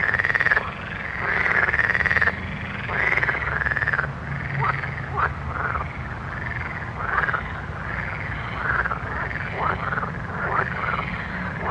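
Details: Frogs calling at night: a dense chorus of arched, bubbling croaks that overlap and repeat several times a second, with a steady low rumble underneath.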